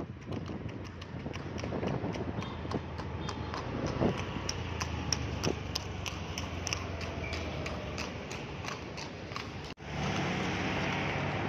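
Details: Fast horse on a road, crisp hoof clicks repeating roughly three times a second above a continuous low rumble, which cuts out briefly near the end before the noise returns.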